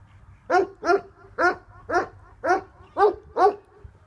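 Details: Tornjak livestock guardian dog, the Bosnian Shepherd dog, giving seven deep, resonant barks evenly spaced about every half second over a low steady background rumble.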